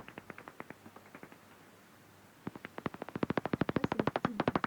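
Common pipistrelle echolocation through a bat detector: dry, wet-sounding clicks that speed up while hunting.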